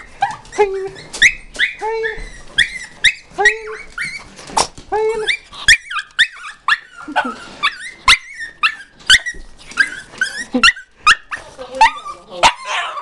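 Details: Pet dog greeting its owner on return after about ten minutes away, an excited greeting repeated each time. High whines and yelps in rapid bursts, some sliding down in pitch, roughly every half second, with brief human speech mixed in.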